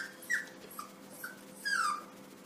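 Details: A Yorkshire Terrier puppy named Suzy faces a mirror indoors, mistaking its reflection for another puppy. It gives soft, high whimpers, short at first, then a longer downward-sliding whine, over a faint room hum.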